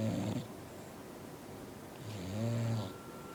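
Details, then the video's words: Roxy, a female dog and a loud sleeper, snoring: two low, rough, droning snores, a brief one at the start and a longer one about two seconds later, with quiet breathing between. "Roxy Snoring"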